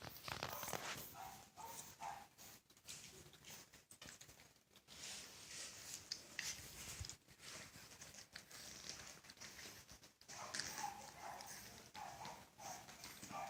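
A French Bulldog snores in rough, rasping bursts that rise and fall with each breath.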